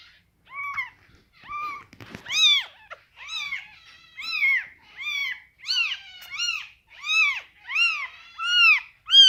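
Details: Scottish Fold kittens with rare coat colours, fold-eared and straight-eared; a rapid series of about ten bright, high-pitched arched mews, roughly one per second, growing louder and more insistent, with a brief rustle early on.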